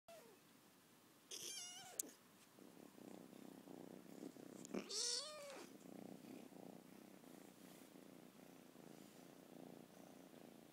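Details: A 14-week-old lilac British Shorthair kitten gives two high, arching meows over steady purring, demanding to be petted.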